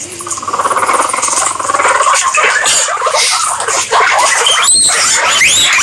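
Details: Guinea pigs give a long, buzzy, pulsing squeal that rises in the opening seconds, then breaks into quick chattering squeaks and a few thin high whistles toward the end, over a constant hiss.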